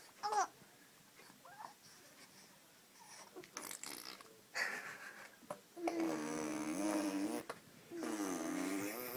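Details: A person makes buzzing lip trills and babbling noises indoors, with short breathy bursts between them.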